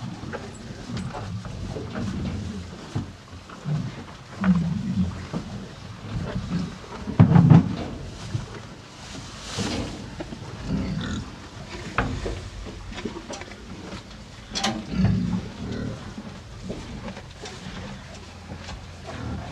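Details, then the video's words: Two cows eating hay on a farm: steady crunching and rustling of chewed hay in irregular bursts, with deep low rumbling breaths underneath and a few louder crunches near the middle. "TWO CUTE COW EAT HAY!"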